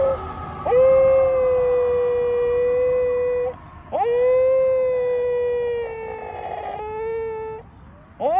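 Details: A Corgi howls in long, steady, rich-toned notes, each lasting about three seconds.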